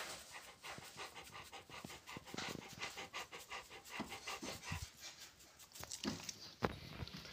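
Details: Heavy Rottweiler breathing: steady, hurried pants in a continuous chain, occasional sharper huffs and a brief knock near the end.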